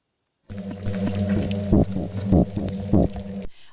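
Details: Plainfin midshipman (a singing toadfish) makes low, buzzy aggressive grunts with its swim bladder to repel competitors and claim territory, about four short pulsed bursts roughly every half second over a steady low hum.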